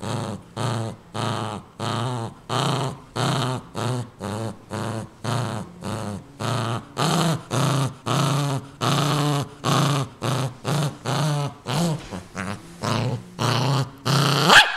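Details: Pet dog growling while guarding a new toy it wants nobody near, indoors; a long series of rough, low growls in regular bursts about every half second, each with a throaty buzzing tone, ending in a sharper yelp-like rise.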